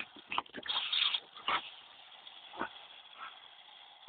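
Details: Two Dobermanns, Tyra aged two and her granddad Thunder aged seven, playing with a hose on a very hot day; a few short, high yipping whines stand out over steady hissing and splashing water.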